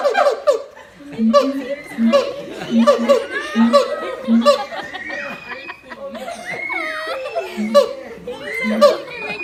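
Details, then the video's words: Harmony of two siamang parents, their infant silent and clinging to its mother. Steady low booms repeat beneath short bright barks, with longer sliding, rising whoops toward the end. "フクロテナガザルの鳴き声 siamang harmony ハーモニー"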